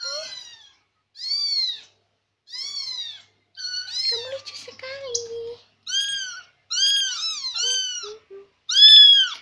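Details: Talkative Persian kitten that keeps following its owner, meowing again and again: high, arched mewing calls about once a second, with a brief stretch of a person speaking quietly midway.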